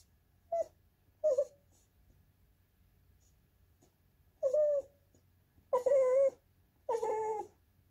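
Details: Goldendoodle named Andy whining for snacks or to be petted in his younger days, a sing-songy series of five whines: two short ones, a gap of three seconds, then longer wavering, rising-and-falling cries in a quiet room.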